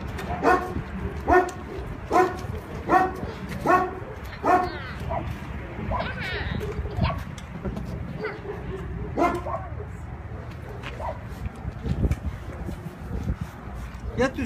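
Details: Kangal dog, an Anatolian Shepherd or Sivas Kangal dog from Turkey, known as friendly with children: a run of deep, harmonic barks roughly every second for the first five seconds, then sparser calls, with people speaking Turkish throughout.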